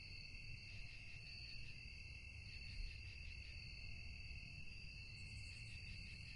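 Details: Steady nocturnal cricket song in a tranquil setting, dense overlapping high trills with a gently pulsing rhythm, a short very high buzz near the end, low rumble beneath.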